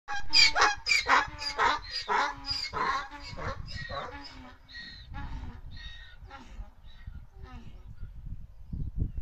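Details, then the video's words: Several donkeys braying: a run of loud, harsh, harmonic-rich calls repeated about twice a second, then fading into weaker, broken wheezes with low rumbling noise underneath. "Unos burros reboznando."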